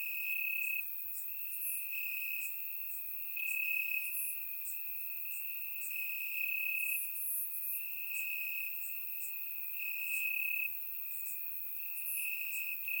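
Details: Warm summer night in Bulgaria with crickets chirping in the grass; a continuous thin, shrill trill holds throughout, while short piercing chirps from other insects pop up irregularly above it, recorded with a surround microphone.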